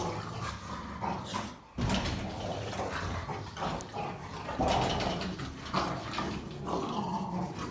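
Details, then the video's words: Three German Rottweilers wrestle and play-fight while one, trying to rest and chew, tells the others off: sustained deep snarling growls with sharp louder outbursts and scuffling between them. "German Rottweilers Fighting, Playing, and Making Loud Aggressive Noises"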